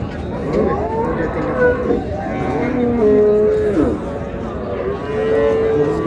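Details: Several overlapping, medium-length lowing calls from improved-breed dairy cows and calves at Raniganj market in Dinajpur, dated 2/8/26, heard against constant crowd chatter and market bustle.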